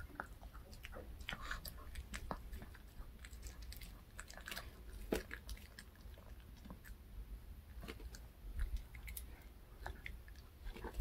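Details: Dog at home munching a homemade fish-shaped bun dog treat, dense clicky crunching and biting throughout, bursts packed closely together over a low indoor rumble.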